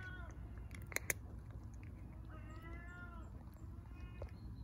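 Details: Homeless street cat in Istanbul seeking attention gives a few soft, wavering meows, one longer arched cry in the middle, amid clicks, taps and steady low city rumble.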